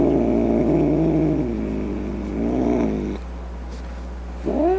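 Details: Angry cat growling and snarling low and rough for about three seconds, then a pause and a short rising meow at the end.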